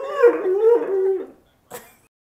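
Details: Male pet dog howling briefly: a wavering, slightly descending tone lasting just over a second, followed by silence and a short noisy click.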